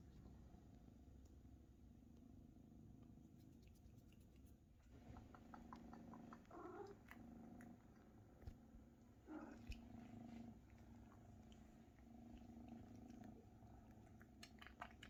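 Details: Maine Coon kittens, nearly half their mother's size, purring while mother cat Luna feeds and cares for them indoors; a steady low rumbling purr runs throughout, with faint clicks and small rustling sounds over it.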